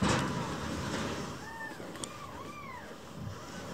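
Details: Sulking rescued baby kitten calling indoors: a run of four or five soft, arched mews in quick succession, partly covered by a steady broad background hiss and rumble.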